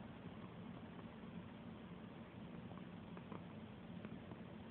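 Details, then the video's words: Ninja, a domestic cat, purring while being petted: a low, continuous rumbling drone with a faintly pulsing texture, joined by a few soft rustles or clicks from handling near the end. "Petting a purring cat"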